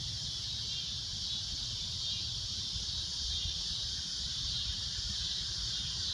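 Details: At a golden sunset a cicada keeps up its loud, shrill droning noise, a constant high buzz with slight wavering, set against low rumbling ambient noise.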